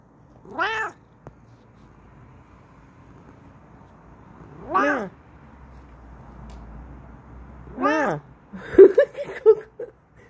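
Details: ['Bengal cat Kokoa yelling with excitement in her new chair indoors: three clear, rising-and-falling meows a few seconds apart, followed by a woman talking to her.']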